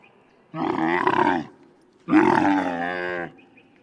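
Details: Camel grunting: two loud, rough, harmonic-rich bellows, each about a second long, separated by a brief quiet gap, with no other sounds.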